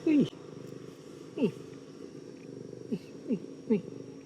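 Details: Small, calm female stray domestic cat purring continuously while being petted, a steady engine-like rumble, with sharp downward-sweeping clicks roughly every second and a Vietnamese voice speaking over it.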